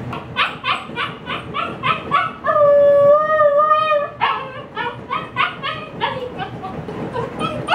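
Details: Female Husky puppy left inside alone, distressed at missing the yard sale setup: fast repeated yips, then one sustained pure howl lasting over a second, then more rapid yipping.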